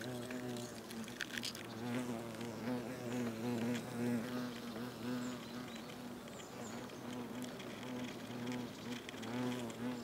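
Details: European hornets (Vespa crabro) at their nest, South Moravia, Czechia, August, workers sharing regurgitated food; a steady, low, wavering hum of several hornets with overlapping harmonic drones, scattered crackles and scratching sounds on the nest.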